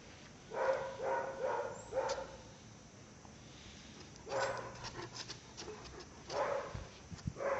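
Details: One-year-and-one-month-old Caucasian Shepherd Dog in Azerbaijan barking in a run of four quick barks, a pause, then scattered single barks, each deep and harmonic with a noisy edge.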